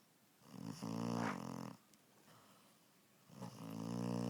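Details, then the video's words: A sleeping puppy named Evie snores loudly: two long, harmonic rasping breaths with a steady low drone, separated by a quiet pause, recorded indoors. "snoring puppy"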